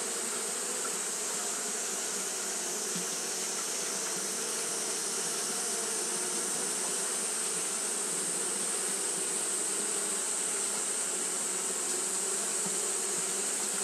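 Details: A continuous droning buzz from Japanese honey bees fanning through a hot day. The low harmonic hum stays even, and a bright, steady high-pitched hiss runs above it.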